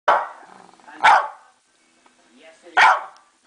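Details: Female West Highland White Terrier, a pet dog, barking to ask for her dinner: three sharp, bright barks roughly a second or more apart, with a person's voice in the background.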